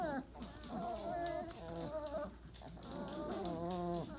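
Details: Day-28 Weimaraner puppies in a post-breakfast pile give long, drawn-out harmonic whines, steady then bending upward, with soft overlapping voices underneath.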